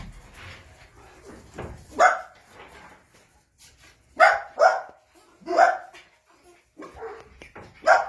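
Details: Playing Jack Russell Terrier puppies bark in short sharp bursts, roughly one every second or so after a quiet start, with faint voices underneath.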